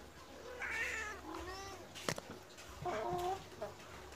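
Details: Medium-sized Persian cat meowing to ask for food just after being fed, acting almost angry; a few soft, drawn-out meows rise and fall between a person's quiet words and a sharp knock.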